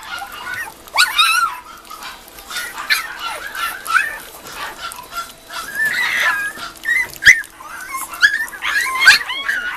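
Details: Several Mame Shiba puppies at the start of weaning food, uttering thin squeaky whines and short rising yelps in quick irregular bursts, mixed with faint human voices and small clicks.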